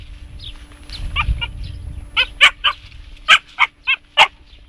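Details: A Siberian Husky puppy named Jasmine, aged 3.5 months, confronts a hedgehog. Soft snuffling leads into a string of eight shrill, evenly spaced yelps over about two seconds, against a low background hum.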